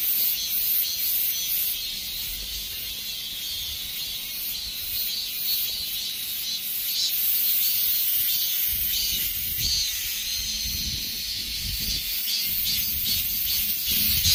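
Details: End-of-summer cicada chorus, a loud unbroken hiss-like drone high in pitch, with rhythmic pulsing strokes and occasional low rumbles of background noise.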